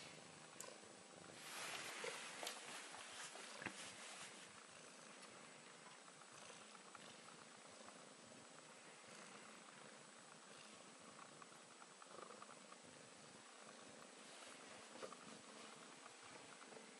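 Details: Relaxed Bengal cat purring contentedly indoors: a soft, breathy, continuous purr with a steady texture, plus a brief louder rustling near the start and a few faint clicks later.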